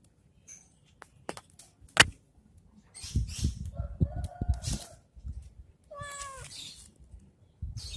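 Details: A cat at play with a stick, scattered taps and rustling thuds, then one clear wavering meow late on, followed by more rustling.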